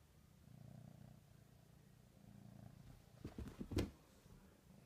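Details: Ricky, a pet cat, purring while eating ham indoors: a low, throbbing rumble in two steady bursts with a short pause between, followed by a few sharp knocks and thumps near the end.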